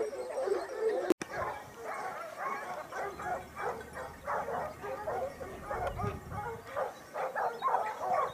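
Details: Pack of Basset Hounds from Topsfield Lebrera hunting in Spain during the 2015-16 season, their second year. Many hounds bay together in a dense, pulsing chorus of short overlapping cries, with a sharp click early on.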